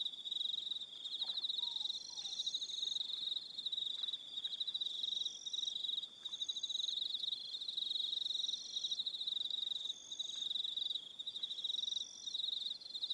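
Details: Evening cricket chorus on Aroha Island in New Zealand, nearly continuous high pulsed trilling with brief breaks, overlapping higher chirps, and a faint lower whistle near the start.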